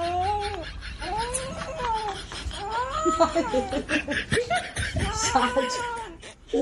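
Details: Angry cat giving long drawn-out yowls that rise and fall in pitch, repeated several times, with people talking and laughing over and between the calls.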